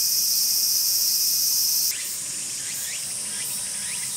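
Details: Tsukutsuku-boshi cicada calling, heard from the start to the end of its calling: a loud, steady, shrill high drone fills the first two seconds, then softens as short swooping chirped phrases repeat about every half second.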